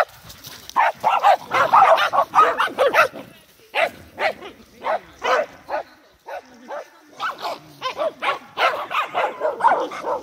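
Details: Several Corgis in a playful group, 12 November 2017, trade bursts of sharp barks and gravelly play-growls, dense at first, then spaced into short yaps about twice a second, with brief pauses between flurries.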